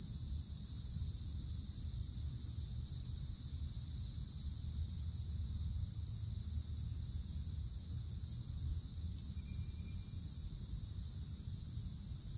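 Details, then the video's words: Cicadas in the treetops of a summer woodland give an unbroken shrill buzzing chorus in two high bands, with steady low rumbling noise beneath and a brief faint whistle near the end. "Forest Canopy in the Summertime With Cicadas Sounds"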